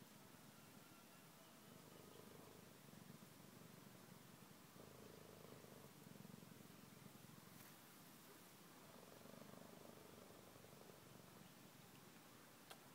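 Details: Cheetah cubs relaxing with their mother, a soft low purring in long steady cycles that swell and fade every few seconds, faint beneath a constant background hiss.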